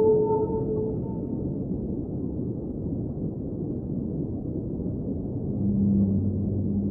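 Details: Whale song underwater opens with a short higher moan that drops away, followed by a stretch of low rumbling water noise, then a deep, swelling moan returns near the end.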